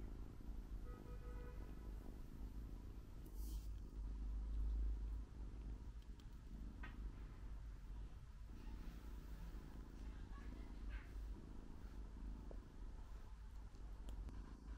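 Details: Newly arrived female British Shorthair cat, NY12 colour, drowsing after a meal following a long journey; a continuous deep, even purr with a few brief faint tonal sounds and light rustling over it.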